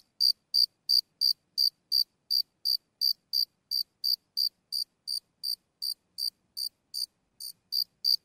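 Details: Close recording of a lone cricket giving sporadic chirps, crisp high pulses in a steady train of about three per second, a short gap near the end, otherwise quiet background.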